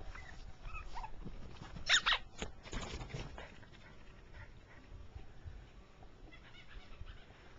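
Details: Four-week-old Jack Russell Terrier puppies: a few brief, high, squeaky whimpers, the sharpest near the start, then fading into soft shuffling and low background noise.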